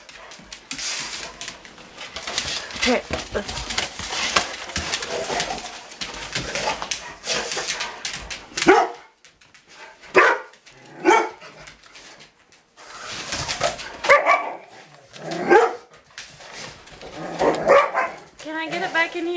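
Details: Pet Rottweilers play indoors with a remote control truck. Busy scuffling and clatter give way to a series of sharp, ringing barks at irregular intervals, with a person talking between them.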